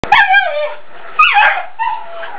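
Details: A Miniature Schnauzer, excited by meerkats on TV, gives three high, whiny barks, each a short yelp sliding downward.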